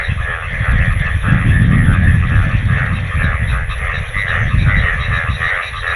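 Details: Monsoon frog chorus in Bangladesh, many frogs calling after rainwater has pooled: continuous overlapping pulsed croaks with a rapid, uneven rhythm, partly masked by loud low-pitched rumble from wind or handling.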